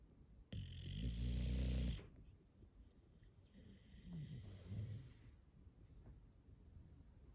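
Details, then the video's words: English Bulldog snoring indoors, a household with five bulldogs; one loud rasping, harmonic snore lasting about one and a half seconds, then a softer, wavering breath a few seconds later over quiet room noise. "Those Famous Bulldog Snores"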